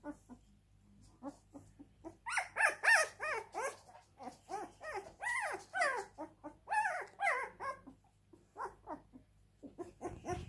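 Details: Husky crying in long strings of quick arching whimpers and yelps, several per second, rising into louder, busier bursts in the middle and easing into sparse quiet whines near the end.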